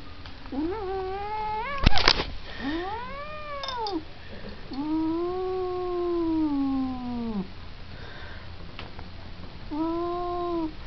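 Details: Domestic cat caterwauling indoors: long, drawn-out, wavering yowls that rise, arch and fall, with one stretched wail lasting about three seconds, a sharp clatter near the start and a shorter final yowl.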